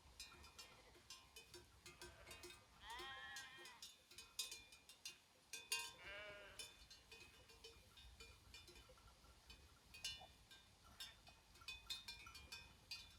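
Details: Herd of sheep grazing in the Făgăraș Mountains, Romania: two wavering harmonic bleats around three and six seconds stand out among constant clinking bells and clicks across the whole recording.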